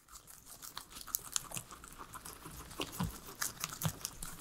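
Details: Three pet guinea pigs munching their salad of veggies indoors, with no talking or music: crisp, irregular crunching and tearing bites scattered quickly through the whole stretch, some louder snaps standing out against a quiet room.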